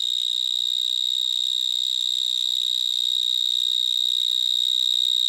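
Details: A male vineyard mole cricket (Gryllotalpa vineae) sings on an evening of 22 March 2010 in a Gironde vineyard between Bordeaux and Libourne, a first find there: a loud, unbroken, piercing trill recorded from about 30 cm, like an electronic alarm.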